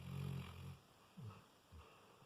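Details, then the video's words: Layla, a sleeping Labrador Retriever, snores indoors: one long, low, rumbling breath in the first moment, then two shorter soft snorts spaced about half a second apart, fading quietly between breaths. "Cute Labrador Snoring"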